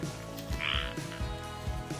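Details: A frog croaks from a pond near an RV on a cold, misty, rainy day, giving low, deep croaks in short pulses spaced about half a second apart.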